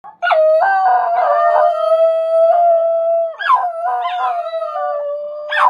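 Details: A Basenji yodels instead of barking: a long, wavering tonal howl with sudden cracking pitch jumps, thought closer to a wolf's howl than a dog bark.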